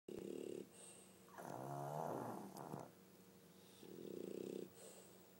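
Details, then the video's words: Sleeping pug and French bulldog snoring together in a duet, pet dogs indoors; rough, buzzy breaths in long low bursts, a loud drawn-out snore in the middle flanked by shorter rasping ones, quiet room between. "巴哥犬 二重奏的打呼聲"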